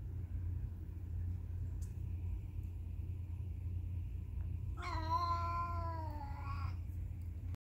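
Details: After a quiet stretch of low hum, a cat lets out one long, sustained meow of nearly two seconds, holding a fairly level tone that sinks slightly at the end.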